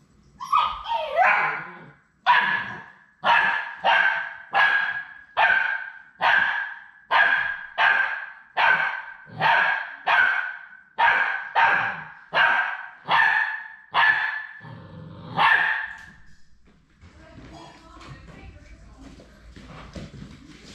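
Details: Labrador Retriever puppies at High Desert Labradors on their last day before leaving for new homes. A short whiny rising call opens a run of about fifteen sharp, evenly spaced yips, nearly one per second, which then fade into a quiet room.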